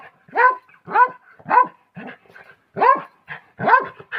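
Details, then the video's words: Pomeranian dog giving sharp, high yapping barks, six in about four seconds, each a short bright yelp with a quick rise and fall, separated by brief pauses and soft breathy sounds. "Real sound of Pomarenian"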